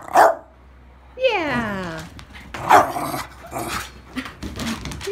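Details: English Bulldog and Miniature Pinscher playing together: a sharp bark, then a drawn-out whine that slides downward for almost a second, another bark, and softer grumbles near the end.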